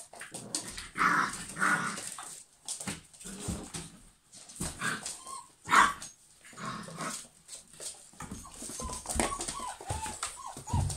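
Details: A group of German Pinschers barking and whining: two quick harsh barks early, a sharp single bark mid-way, then a run of high, bending whines toward the end over rustling movement.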